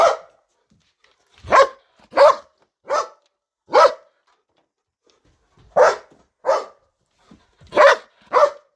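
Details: Belgian Malinois barking very loudly in a garden, where it barks day and night; loud, sharp single barks in irregular bursts of two to four, with short silent gaps between groups.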